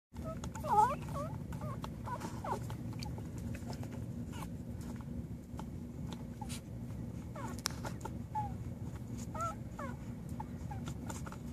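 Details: American Pit Bull Terrier on its first day, giving a string of short, thin, rising squeaks scattered through the clip over a steady low hum, with a few faint clicks and rustles.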